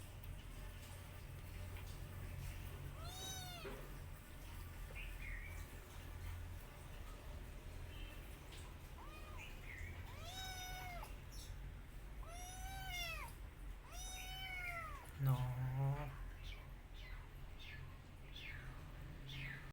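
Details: Rescue cat and kittens eating together: about six high, arching meows with rich harmonics, clustered near the third second and between ten and sixteen seconds, over a steady low rumble.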